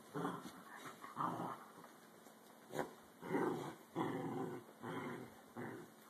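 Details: Dachshunds fighting, filmed on a phone: rough, noisy growls in bursts of about half a second to a second, separated by short quiet gaps, with one sharp click-like sound in the middle.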